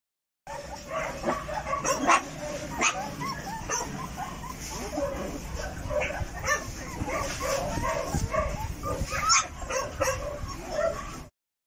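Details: American Akita puppies make a busy run of short, high yips and small barks, overlapping and irregular throughout, with a human voice talking in the background.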